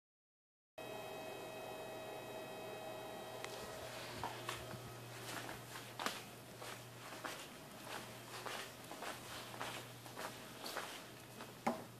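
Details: Quiet indoor room with steady mains hum, scattered footsteps and soft knocks, with no barking or other animal voice.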